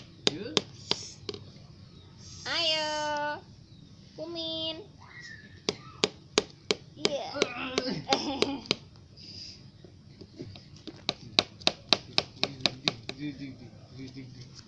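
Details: Three little kittens playing with their owner in a matador-style game: two drawn-out harmonic meows early on, then sharp repeated clicks and taps, scattered rustling, and a person talking and counting throughout.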